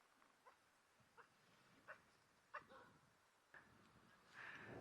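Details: African wild dogs barking after seeing lions arrive to take their impala kill, at sunset; a faint series of short, sharp barks spaced under a second apart, ending in a louder rushing noise.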